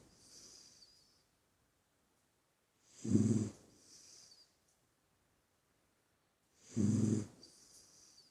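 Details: Sleeping puppy snoring: breathy, rasping snores with a low rumble and airy hiss, two strong ones about four seconds apart with softer breaths between, otherwise quiet.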